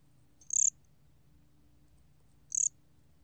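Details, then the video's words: Two crisp high-pitched chirps from a gom cricket (곰귀뚜라미), 2020 Korean archive recording, two seconds apart, each a rapid train of pulses with a weaker lower tone beneath, against soft background hum. "곰귀뚜라미, 여러번 듣기, 곤충소리"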